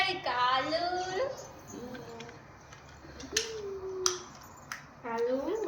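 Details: Pet cat indoors, enjoying air from a fan, gives a long wavering meow early on and another rising-then-falling meow near the end, while a woman talks softly to it in Gujarati and a few sharp clicks sound between.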